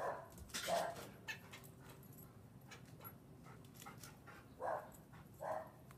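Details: Barking from a standard poodle being taunted by a squirrel: one abrupt bark at the start, a pause, then two more sharp barks close together near the end, over a quiet background.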